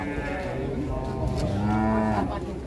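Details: A Limousin cow gives a short, deep moo that swells midway and holds a steady low pitch before fading, set against a busy murmur of people talking nearby.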